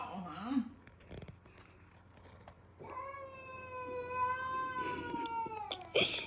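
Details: Pet cat, female, facing a new dog indoors: after a few seconds of low rustling and faint voices, a drawn-out wavering yowl rises and holds for about three seconds, ending with a sharp noise.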